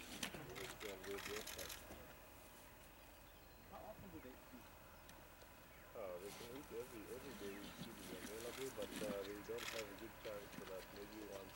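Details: At Vumbura in Botswana's Okavango Delta, spotted hyenas squabbling over a kill make quavering, rapidly pulsed giggles and whines in two bouts separated by a quieter gap, over outdoor rustling.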